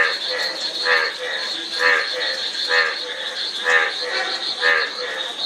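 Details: Frog croaks pulse about once per second in a fairly steady rhythm, each a short, nasal, layered note, backed by softer calls and a persistent shrill insect buzz.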